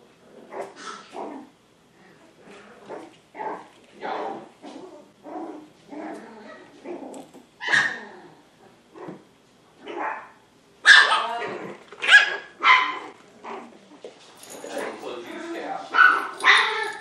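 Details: Two 7-week-old Poodle puppies, Honey and Emma, healthy and energetic, giving a run of short yips and barks, sparse at first and then louder and denser toward the end, each burst brief and bright.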